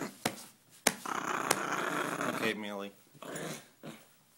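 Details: Female dog indoors guarding money possessively: a sustained, rough growl lasting about one and a half seconds, ending in a rising-falling whine, with a person's voice and sharp clicks around it.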